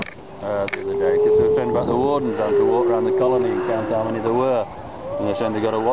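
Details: Grey seals at the Donna Nook Nature Reserve, Lincolnshire, on 19 November, among hundreds of seals with newborn pups in a breeding colony. Long, wavering, harmonic wails rise and fall in drawn-out moans that overlap continuously, with faint people's voices.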